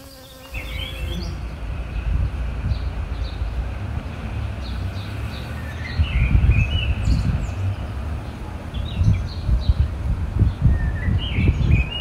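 A honey bee's low, droning wing buzz swells and fades as it moves, with faint bird chirps behind.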